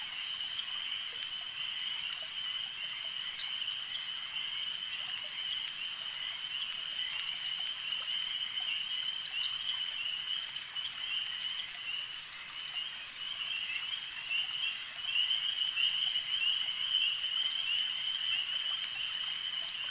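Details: Lakeside frog chorus, many animals together, forming an unbroken shrill trill that holds steady for twenty seconds and grows a little louder near the end, over a light ambient hiss.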